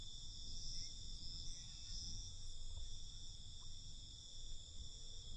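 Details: At night, crickets give a high, steady shrill trill, with brief faint extra chirps and a low rumbling background.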